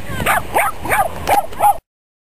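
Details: Silky Terrier running and barking at a dog beach in Long Beach, California; five quick high yappy barks about every third of a second, with wind noise throughout.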